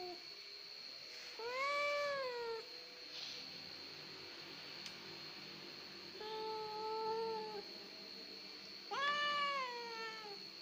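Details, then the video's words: Crybaby house cat heard in three separate plaintive meows spaced a few seconds apart. The middle one is flatter and quieter, and the last is a bright rising-then-falling wail. A constant thin electronic tone hums behind them. "CAT EASY TO CRY. KUCING GEMBENG."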